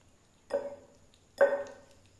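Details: Hungry domestic cat eating raw fish, giving two short, level-pitched meows about a second apart, each with a bright harmonic tone and a slight trailing fall, against a quiet indoor background.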